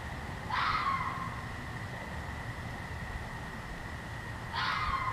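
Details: At night, a red fox gives two harsh, raspy screams several seconds apart against a steady high hum.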